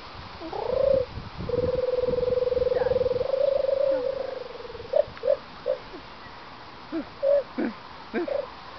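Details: A captive meerkat at Manor House Wildlife Park, Tenby, gives a long, steady, slightly pulsing tonal call, then a series of short peeps.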